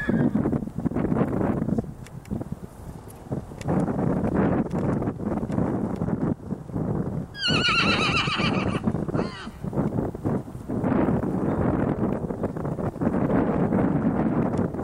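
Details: Rocky Mountain Horse whinny recorded while a weanling filly is trained for bonding and trust: one loud, quavering, descending neigh about two seconds long near the middle, set among continuous heavy thumping, rustling and handling noise.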